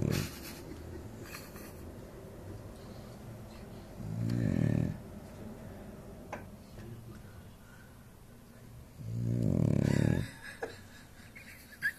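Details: Dog asleep, giving two long rasping snores about five seconds apart, each a low throbbing rumble lasting roughly a second, with soft breathing and faint clicks between.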